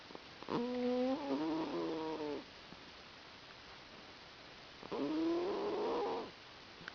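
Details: Sammie the cat asleep on a lap, giving two sustained, buzzy-toned snores that waver and rise slightly, spaced by a few seconds of near silence with faint clicks.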